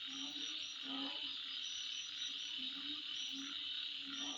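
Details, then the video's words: Insects calling at midnight: a dense, steady high shrill drone with faint rapid ticking pulses above it, and short low hooting notes recurring every half second or so underneath. "Sound Of Insect At Midnight"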